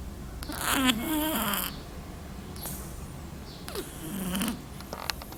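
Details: Small black cat snoring: two rough, buzzy snoring breaths with a low, rattling hum, each lasting about a second and spaced roughly three seconds apart, with quiet faint background between them.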